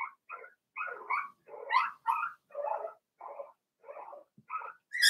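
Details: Cavalier King Charles Spaniel puppies, aged four weeks, in Daisy's puppy pen, give a steady string of about a dozen short nasal yelps and whimpers, each under half a second, some rising sharply in pitch, ending on a shrill squeal.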